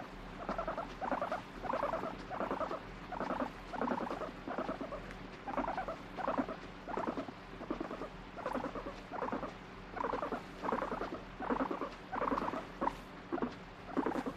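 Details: Guinea pig that flips between demanding strokes and pushing a hand away utters a long series of vibrating, purring rumbles in rhythmic bursts, around one and a half per second, steady throughout with a quiet room background.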